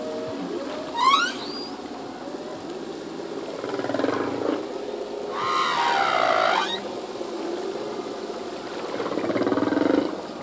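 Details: Full-length humpback whale song from a male at sea: a quick rising whoop, then low grunts and a long harmonically rich wail around six seconds, with softer moans trailing after.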